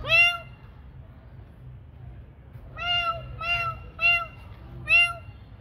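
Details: Domestic cats at night feeding time meowing repeatedly: one bright falling meow at the start, then four short harmonic meows in quick succession about half a second apart, over a low steady hum.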